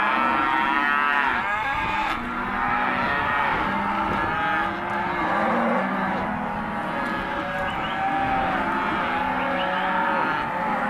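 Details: Empty Hereford and black-baldy cows in lot 18 lowing continuously, many overlapping drawn-out moos with wavering pitch, a dense chorus from a group of cattle with no pause.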